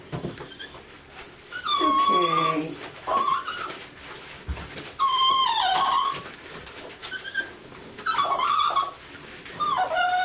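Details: A female Lhasa Apso cries during a bath, giving drawn-out, wavering whines in bursts every couple of seconds while being reassured.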